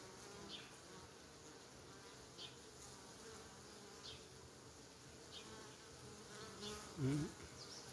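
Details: Honey bees at a hive entrance rocking forward and backward, possibly cleaning, without fanning their wings; a continuous soft droning buzz with faint soft ticks and a brief louder knock near the end.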